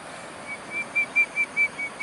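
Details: Otters at the meandering river in riverPark, Bishan: a quick series of about eight short, high, pure whistled squeaks on one steady pitch, roughly four per second, over soft background hiss.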